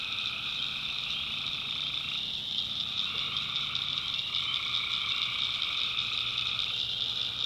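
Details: Swamp at night in the North Carolina backwoods, alive with tree frogs: continuous overlapping buzzy trills in several bands, the rapid pulsing texture shifting slightly as individual callers start and stop.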